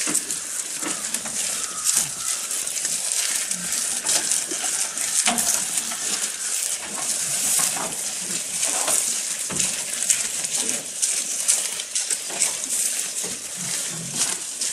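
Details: Goat eating close to the microphone, with steady rapid crackling and crunching of chewed food, occasional stronger snaps, and a bright hiss throughout.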